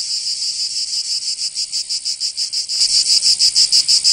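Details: Summer cicada chorus in Provence, in the south of France, a shrill high-pitched buzz throbbing in regular pulses about three per second, growing louder and sharper in the final second.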